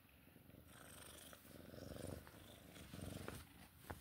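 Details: A Sphynx cat, female, purrs with a low, steady rumble that swells and fades with each breath during play time.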